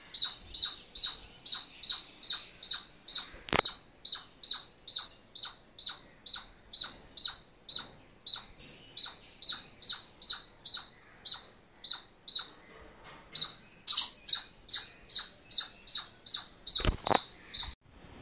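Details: Squirrel calling insistently: a long series of sharp, high chirps, about two or three each second, kept up steadily for the whole stretch, with a couple of brief knocks in the background.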